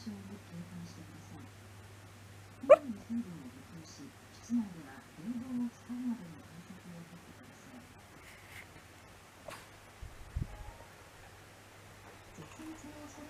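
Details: Hachi, a dog, moaning in its sleep, recorded around 13–14 August 2019: soft, wavering low whimpers come in short broken strings over a steady low electrical hum, with a couple of sharp clicks.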